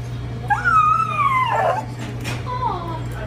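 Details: Alaskan Klee Kai, a mini husky, howling out of jealousy because he wants his own stroller like his beagle friend, on New York City streets; a high wavering whine-howl rises then slides down over about a second, a shorter whine follows, with Spanish speech and hum behind.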